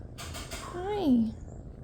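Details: A young shelter tabby kitten (Felis catus), one of five sisters now in foster care, gives a single loud, drawn-out meow that rises and then slides down, after a woman's soft talking.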